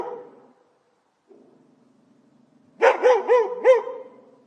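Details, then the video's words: Barking dog in a professional recording: faint low murmurs and a brief lull, then a burst of four loud, evenly spaced barks about a quarter second apart, fading into a soft low hum. "Dog Barking sound effect"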